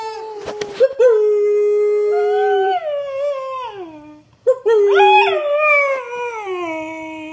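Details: A female Beagle gives two long, mournful howls that start high and slide down.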